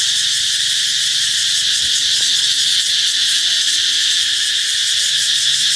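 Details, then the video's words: Cicadas sing to announce summer's arrival, producing a continuous piercing high buzz with a slight pulsing shimmer and no breaks for the entire stretch. "Ve sầu hót vang báo hiệu mùa hè sắp đến"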